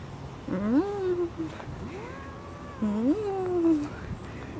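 A domestic cat gives long, drawn-out angry meows that swell, rise and then slowly sag in pitch.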